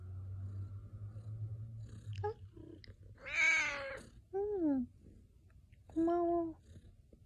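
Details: Domestic cat meowing indoors, three separate harmonic meows, the first long and loud with a falling tail, then two shorter drawn-out mews, over a low steady hum and quiet background noise.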